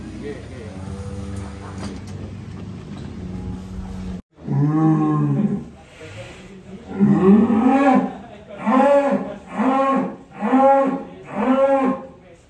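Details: Large Qurban sacrifice bull in Indonesia, 2022, being loaded onto a truck: after a low engine-like hum and a cut, a series of five or six loud, drawn-out harmonic moos, each about a second long, spaced roughly every second and a half.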